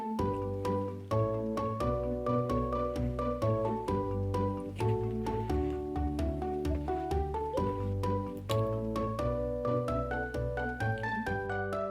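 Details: Bright, steady vibraphone-like music with plucked notes and a low bass line plays throughout, and no animal voice can be picked out.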